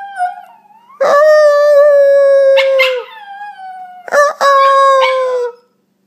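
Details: Howling by Enzo, an Italian Greyhound puppy: a soft whine first, then two sustained, level, harmonic-rich howls about two seconds and one and a half seconds long, broken by brief cracking yelps.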